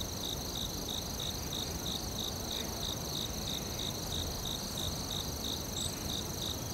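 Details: Rhythmic high cricket chirps pulse steadily through a forest night ambience, with a constant shrill insect tone above and a diffuse low background murmur.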